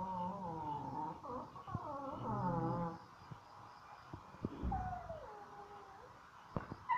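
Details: A dog complaining at a dog resort in Phuket: wavering, nasal whines early on, then quieter, with a single falling moan and scattered clicks and knocks.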